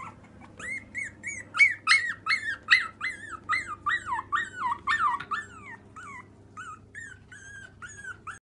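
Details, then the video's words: Pomeranian puppies whining in a fast series of high, thin whimpers and yips, each bending up then down, several per second, with a faint low hum beneath. "Pomeranian puppies"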